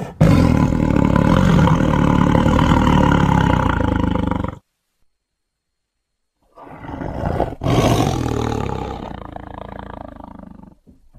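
A tiger gives two long, deep, rasping roars separated by a brief silence.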